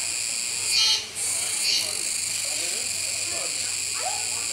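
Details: A Kuroiwa's cicada gives a steady, high, hissing drone that swells briefly twice in loudness, recorded on 16 October 2021 at Neo Park Okinawa while a capybara keeps eating.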